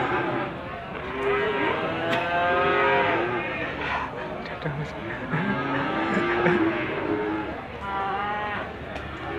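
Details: Limousin calves at the Gondanglegi livestock market, Malang Regency, East Java, 12 February 2020, during morning trading hours: many overlapping moos, some rising and falling, blending into a steady chorus with crowd murmur beneath.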